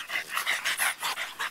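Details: Pied French Bulldog puppies playing in a yard; fast, regular breathy panting pulses, about five or six per second, loud and close, with no other voices during the bursts.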